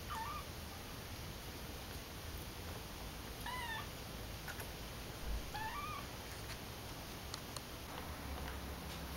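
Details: Rescued calico kitten, so tiny it could barely walk when found, gives three thin meows, each rising then falling with bright overtones, spaced about two to three seconds apart over a steady background hiss.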